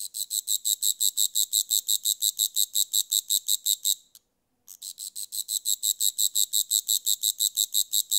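A grasshopper gives a high, dry buzzing pulse, repeated about three times per second.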